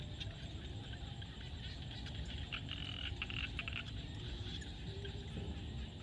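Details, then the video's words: Frogs calling at sunset in a field in Cambodia: clusters of rapid, rasping pulsed croaks, densest mid-clip, repeating over a steady low rumble of wind or distant background noise. "SUNSET with Frog sound at the field"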